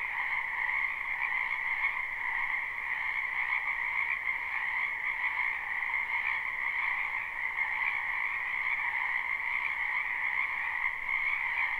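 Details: A chorus of many frogs in a spring wetland behind a house, recorded live: steady overlapping trilled croaks forming a continuous two-toned buzz with slight rhythmic pulsing.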